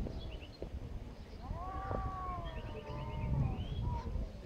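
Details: Angry cats fighting, mewing at each other: two overlapping drawn-out yowls, one higher and one lower, wavering and rising, with chirping birds and low traffic-like rumble behind.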